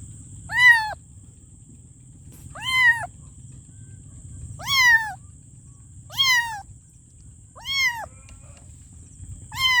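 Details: Kitten meowing for its mother with six arched, slightly falling meows spaced roughly every two seconds, fairly regular and loud, over a low droning hum and a continuous high whine.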